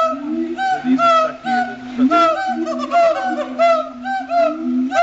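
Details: Siamang duet song at Riverbanks Zoo the day after Christmas, marking territory with booms and barks amplified by throat sacs. Ringing, arched hoots overlap a steadier low droning tone, pulsing in quick bursts.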